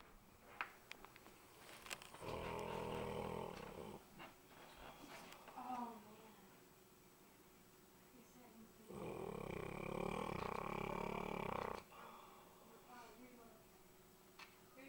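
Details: Butter, a female pet dog, asleep indoors in the dark, snoring very loudly: two long, broad rasping snores of about three seconds each, separated by quieter breathing and small clicks.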